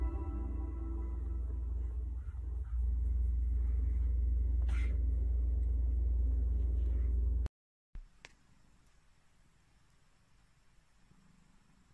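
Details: A heavy low rumble with faint music runs for several seconds, then cuts to near silence and light background hiss, with no animal sound.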